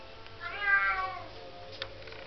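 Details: Ebony, a young female Bengal cat fascinated with water, calls while playing with it: a single drawn-out harmonic meow lasting nearly a second, rising slightly then falling, over a faint steady tonal hum in a quiet indoor setting.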